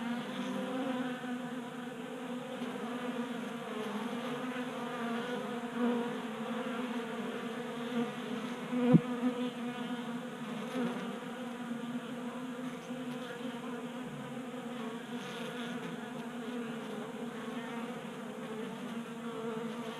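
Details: Honey bees feasting at a 3D printed feeder in a Colorado garage during a warm January spell; a constant low drone of wingbeats, with a few soft taps and one sharp knock halfway through.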